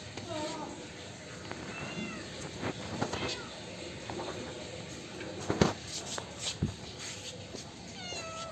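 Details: Kittens meowing for milk: high, wavering mews with falling tails at the start and end, broken by loud knocks and handling noises and some human voice in between.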